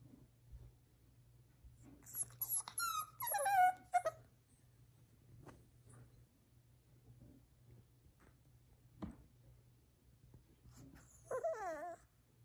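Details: Boston Terrier; whine; puppy seeking attention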